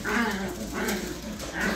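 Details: Chihuahua dogs giving three short, tonal whining calls with a high whistly overtone, the first and last clearest and a fainter one in between, over a steady low background hum.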